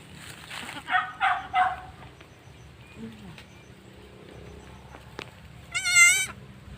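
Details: Goat giving birth and licking clean its newborn kid: a person talks softly at first, then one loud, wavering, quivering bleat rings out near the end over faint rustling.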